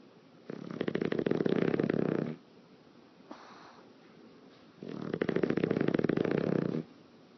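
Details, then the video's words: Snoring English Bulldog, a sleeping pet dog whose lips flap with each breath; two loud, rattling snores of about two seconds each, evenly spaced, with a soft inhale in the gap. "English Bulldog Lip Flappying Snoring in the Wind"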